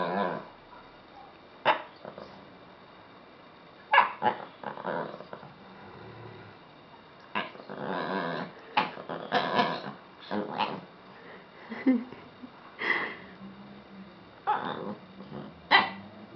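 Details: A 'speaking' Lhasa Apso makes a long run of growling grumbles mixed with short barks and yips, coming in quick irregular bursts with brief gaps, like an ongoing vocal conversation.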